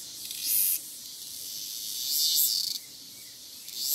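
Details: A cicada singing freely in the wild gives loud, hissing buzzes that swell and fade in repeated surges.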